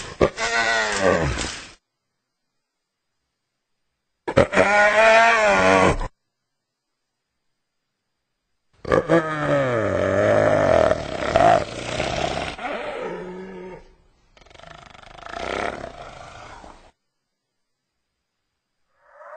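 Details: Hyena giving several loud harmonic calls separated by silences, with wavering, rising and falling tones; a longer call in the middle breaks into rapid warbling modulations before fading into rougher, fainter calls.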